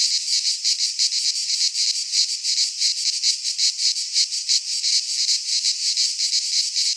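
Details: Greek pine-forest cicadas in midsummer produce a harsh, high rasping drone that swells and dips in quick regular pulses over the whole stretch.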